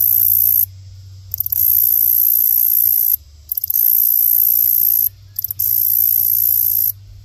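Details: Grasshopper making its mating call: dry, hissing, very high buzzy bursts about two seconds long, each opening with a few quick ticks, separated by short silent gaps and repeated four times over a low steady hum.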